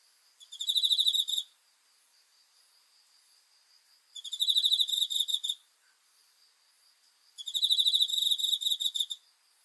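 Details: Crickets at night chirping in three bright, high-pitched trilled bursts of about one second each, spaced roughly three seconds apart with near silence between them.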